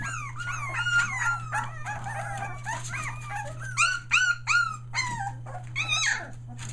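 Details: Australian Shepherd puppies one day short of three weeks old, a litter near Mooresville, North Carolina, that has just found its voice: a busy chorus of high, arching whines and squeaky yips, several overlapping, over a steady low electrical hum.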